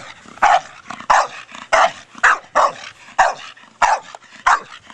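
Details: Brogan, a four-year-old Staffordshire Bull Terrier, barks while playing with his big hard plastic ball; sharp barks come in a steady run, about eight in five seconds, loud and close.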